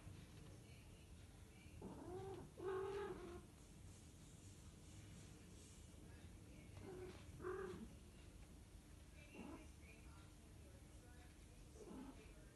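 Scottish Fold cats give drawn-out, wavering yowls during mating, repeated every few seconds.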